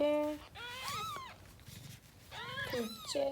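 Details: Persian angora cat giving birth in a box indoors, with four kittens born and marked with rubber bands: several high, bending meows with rich harmonics, two longer at start and end, while a woman speaks Korean softly in the background.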